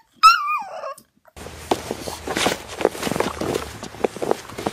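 A Boxer puppy gives a brief high, wavering howl that slides downward, followed by indoor clatter and noise.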